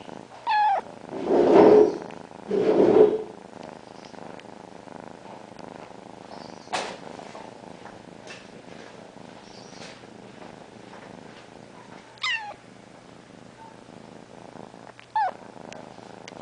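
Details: Female domestic cat purring and meowing simultaneously while sitting on her owner: low rumbling purr bursts early, then steady soft purring broken by brief chirpy meows around twelve and fifteen seconds.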